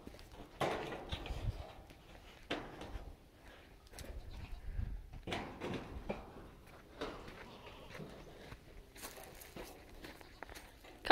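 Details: Goats giving short, harsh, noisy bleats in several separate bursts a second or two apart, some louder and longer than others, with low rustling and handling noises between calls.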